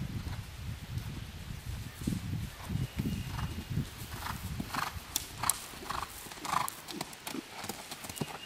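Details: Horse schooling over cross-country fences on its third outing, newly learning to jump. Rhythmic deep hoof thuds roughly every half second, with sharper higher clicks and knocks layered over the beat.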